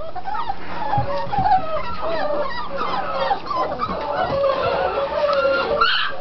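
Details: Puppies at six weeks from the Mystic and Rhino litter give wavering, drawn-out whines and short squeals, several pups calling at once over faint low thumps and rustling.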